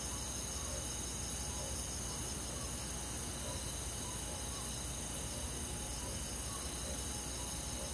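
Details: Crickets and other grass insects trill steadily through a summer night in a rural forest, a dense high continuous buzz with faint soft pulses lower down and a low background hum.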